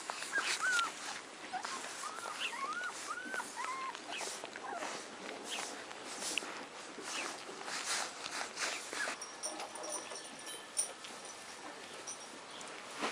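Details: Four-week-old Alaskan Malamute puppies whimper in thin, rising-and-falling squeals over soft rustling.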